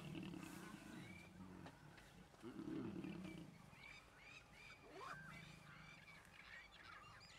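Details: Lions mating in the wild in Kruger National Park, South Africa, seen on safari; two low, rough, drawn-out growls with harmonics, the second louder and pulsing, while high whistled bird calls and chirps sound over a steady outdoor background.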